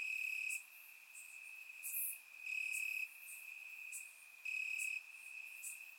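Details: Warm summer night in Bulgaria with crickets calling from the grass; a continuous shrill trill rises in three loud pulses, each about half a second, while short high ticks from more distant insects dot the background.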